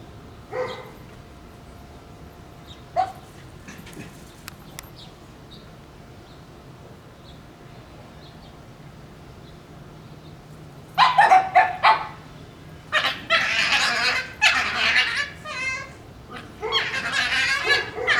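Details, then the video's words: Shiba Inu puppies squabbling over a bone with strange fox-like screams: scattered short yips early on, then after eleven seconds bursts of loud, harsh, rasping screams and wavering yowls, some overlapping, with brief pauses between bouts. "Shiba Inu puppies act like foxes with strange scream sounds"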